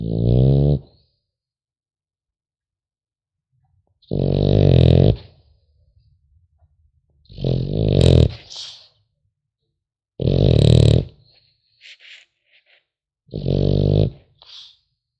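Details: French Bulldog puppy asleep, snoring in loud, rough, low rumbling bursts about a second long, spaced roughly three seconds apart, each ending in a softer wheezy tail, in a quiet indoor room.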